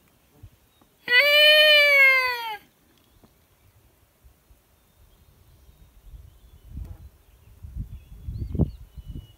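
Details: Wolf howl from a pack called in beside a high mountain lake: one smooth, steady tone held about a second and a half that sags at the end, followed by quiet with soft rustling and thumps nearby.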